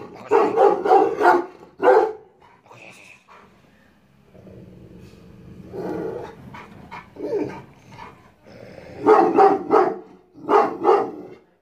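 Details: Aggressive Rottweiler guarding a house, barking in fast runs of three or four harsh barks, separated by quieter growling and rumbling passages, with a final pair of bark bursts.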